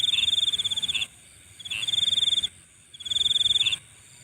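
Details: Insects calling at night in three short bursts of high pulsed trill divided by quiet pauses, each burst marked by a slightly lower chirp.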